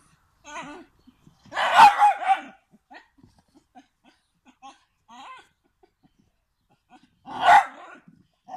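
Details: Dogs of the Standard Bull Terrier and American Bulldog breeds; two loud, harsh barking bursts, the first a rapid double-triple bark near two seconds, the second a single sharp bark later, with faint soft noises between.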